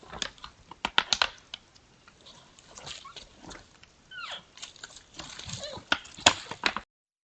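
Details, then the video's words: A pair of sambar sparring; a brief bending squeal arcs up and down after about four seconds, surrounded by dry clicks, knocks and scuffling. "TWO SAMBAR SPARING & MAKING ODD SOUND,S"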